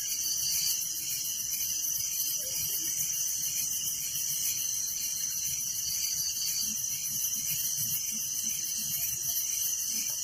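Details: In a village at night, crickets fill the air with a steady high-pitched ringing chorus and fast pulsed trills, unchanging throughout, with faint low rumbles behind.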